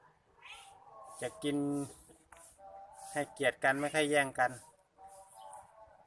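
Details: Pet domestic cat around feeding time, giving drawn-out, wavering meows mixed with a man speaking Thai and some background music.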